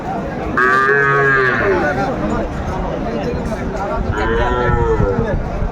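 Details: Sahiwal bull calf at a Bangladeshi cattle market in Brahmanbaria; two loud, harmonic bellowing moos, the first around one second, the second near the end, over steady crowd murmur.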